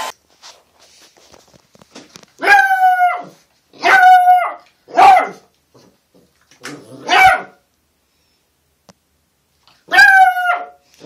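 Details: Puppies giving short, high-pitched yaps, five sharp barks at uneven intervals with quiet gaps between, faint shuffling in the background.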